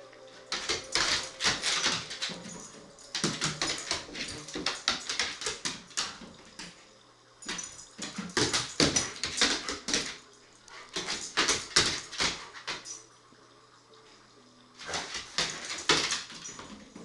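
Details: Dog named Bane worked up with excitement before or after a bath in an apartment off Flagler Drive: bursts of high, breathy whining and whimpering in clusters about two seconds long, broken by short pauses, indoors in a small room.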